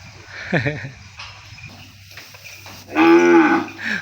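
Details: Separated calf in a pen crying out for its mother. A short low grunting bawl comes first, then quiet, then a loud, steady, harmonic moo of about half a second, followed by a brief lower grunt.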